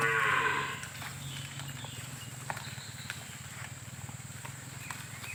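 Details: A free-roaming cow in a palm-oil plantation gives a loud, harmonic moo that fades into a low, steady drone.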